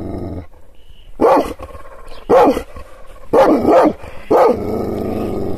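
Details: Angry Kangal shepherd dog, provoked by hand gestures, giving four powerful, rasping barks about one second apart, the last two closer together, with a low rumbling background between them.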